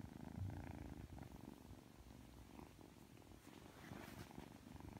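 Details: Three-month-old Ragdoll kitten indoors, just woken and being affectionate, purring steadily: a soft, low, continuous rumbling throb with faint rustles over it.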